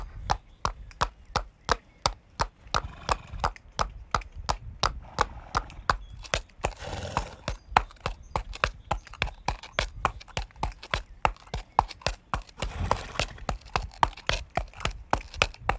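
Horse hooves clop in a quick, steady rhythm of sharp, woody knocks.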